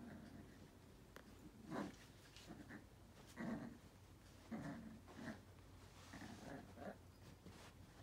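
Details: Male Yorkshire terrier and toy poodle mix puppy, born June 2020, in Langley, British Columbia, Canada, eager to play with a WALL-E toy: low, grumbly growls and snorts in short bursts every second or two, faint, over steady indoor hiss.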